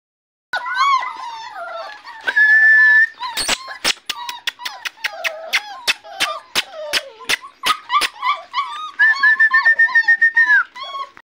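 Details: Labrador Retriever puppies whimpering and whining: high, thin, wavering cries, some drawn out and others short and falling. They come in quick overlapping bursts, broken by a run of sharp clicking knocks in the middle.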